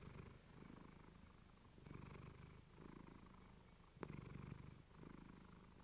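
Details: Low, throbbing purr from Clementine, a female house cat, recorded on a fluffy mic; rhythmic inhale and exhale rounds of roughly a second each, with brighter breathy hiss on some phases and one sharp tick.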